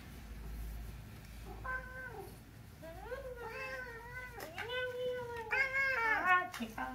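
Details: Pon, a rescued middle-aged pet cat kept nearly six years, complains indoors while a girl massages it: a short falling meow, then longer drawn-out wavering meows rising and falling, ending in a cluster of strained cries, with quiet speech nearby.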